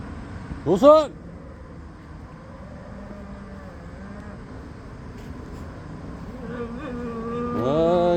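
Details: Jindo dogs on a Thursday: a sharp, rising whine bursts out near the start, low murmuring follows, and a second drawn-out whimper climbs at the end against a steady outdoor hum.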